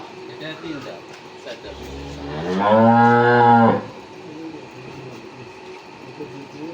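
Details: Friesian cow, six teeth of age, on a farm with a newborn heifer calf; one loud, rising then level moo about a second long, with people talking around it.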